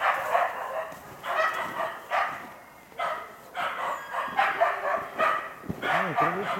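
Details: Karelo-Finnish Laikas, two years and eight months old, work a wild boar kept in a pen as practice for trials. Rapid series of harsh barks, then a rising, wavering whine near the end.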